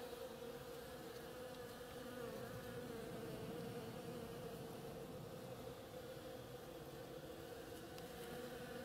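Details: On an oriental creeper in bloom, many bees produce a uniform droning buzz that stays even from start to finish, a smooth, tonal hum without breaks.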